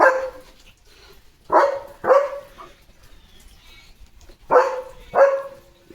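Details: Pet German Shepherd named Leo, in a playful mood during his morning routine, lets out five hard barks in two clusters, two close together, a gap, then three more.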